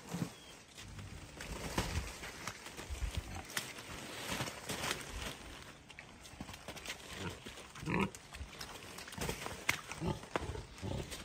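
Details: Rescue pig King Karl at an animal sanctuary in upstate New York, playing with and chewing on a tunnel toy; soft low grunts occur amid frequent crunching, knocking and scraping noises from the chewing.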